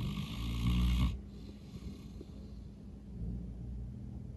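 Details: Norman, a St. Bernard dog, snoring super loud while asleep after a long day of playing outside: a rough, deep snore for about a second, then a softer low rumbling breath.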